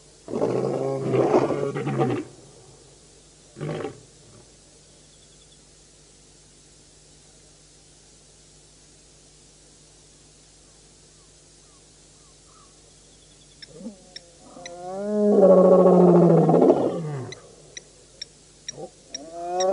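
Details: Lions of the Birmingham Boys coalition at a Djuma Game Reserve dam, Sabi Sand, South Africa, August 2016; short roar bursts at the start, a long quiet gap, then a loud moaning roar near the end with faint high ticks.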